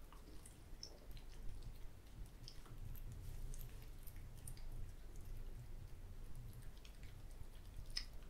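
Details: Boiled quail eggs being eaten by cats in a small room, giving steady soft mastication with moist squishing and occasional crisp clicks over a low background rumble.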